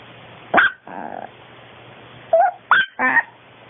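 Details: Female long coat Chihuahua born in 2010, recorded at home during daily life, letting out short sharp yips and a brief nasal whine, two clusters of calls separated by a pause, over low background hum.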